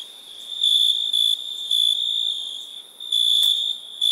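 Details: Crickets calling at night: a sustained, piercing high trill broken into loud stretches of under half a second, separated by quieter dips, over a faint hiss.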